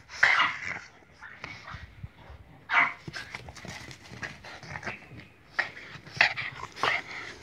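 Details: A kennel Boston Terrier whining and yipping on request: bursts of strained, tonal yelps separated by pauses, with a person repeatedly pleading in Hungarian between the calls.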